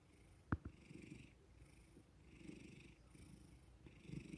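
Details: House cat being petted after being woken, purring softly; faint low rumbling pulses rising and falling with breathing, a sharp click near the start, hushed indoor background.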